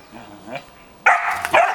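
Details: A 2.5-month-old male Belgian Malinois puppy, shown alongside a 14-year-old female Belgian Shepherd, lets out two sharp, high yappy barks after a quiet start.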